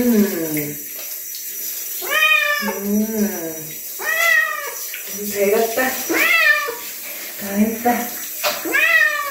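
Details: Chino, a gentle bobtail cat, meowing while being bathed: loud, drawn-out meows that arch up and fall back, repeated about every second. Short low human voice sounds come between the calls.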